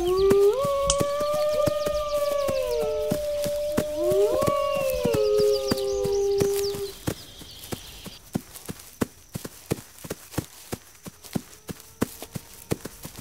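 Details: Wolves howling, long smooth mid-pitched howls that rise, hold steady and slide down, with two overlapping voices in the first seven seconds, then quieter; sharp crackling clicks recur throughout.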